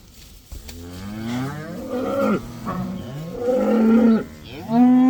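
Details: Cows let outside for the first time, part of a herd of about 80, giving several overlapping harmonic moos, the longest rising then falling, with a loud sustained moo at the end.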